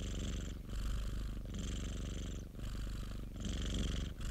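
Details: A pet cat purrs steadily, a dense low vibrating rumble that breaks into breath phases roughly every second, with soft breathy noise at each switch.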